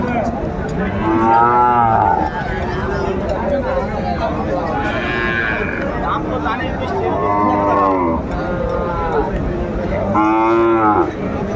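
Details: Sahiwal calves and young bulls at a livestock market in Gaizpur, Bangladesh, in late December: several loud drawn-out moos with rising and falling harmonics, roughly one every three seconds, over steady crowd chatter and market noise.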